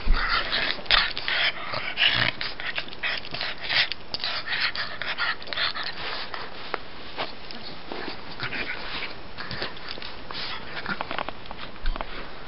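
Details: A pet pug named Gus at play, acting like a cat, produces a dense run of raspy snorts and wheezy breaths, rapid and irregular at first, then thinning into scattered huffs before a final louder burst.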